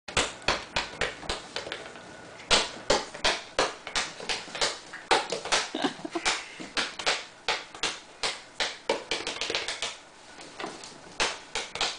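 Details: A ball bounces repeatedly in a small room, rapid thuds about three per second, with no animal voice heard.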